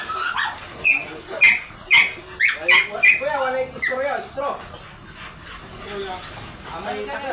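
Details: High, thin yelping whines from a Dobermann brought for stud service at Bunuan, Dagupan City, Pangasinan: five or six quick cries in the first three seconds, then softer whimpering under human chatter.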